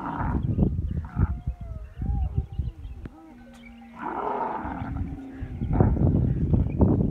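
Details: Rutting camel in masti season: rough guttural roaring pulses, a wavering then falling drawn tone, a steady low hum, and renewed loud bubbling growls toward the end.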